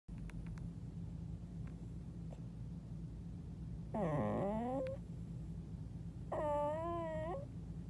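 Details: A pet dog under a bed, recorded indoors, gives two drawn-out, wavering whining vocalizations, one falling then rising, the second a level warbling moan, over a low room hum with faint clicks.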